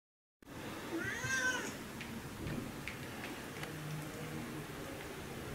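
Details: A Siamese cat on the second day of training to lose its fear of the vacuum cleaner gives one drawn-out, wavering meow that rises then falls, followed by quiet indoor rustling and faint clicks.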